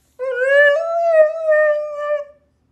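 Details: Siberian Husky howling: one sustained, clear tonal howl of about two seconds, rich in overtones, rising slightly at the start, holding steady, then fading out, with no other sounds over it.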